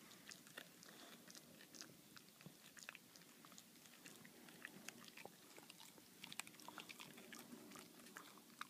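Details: Baxter, a boxer dog, gnawing on his bully bone: a dense run of sharp crunching clicks and wet snaps scattered irregularly, with a soft low rumble of jaw work beneath.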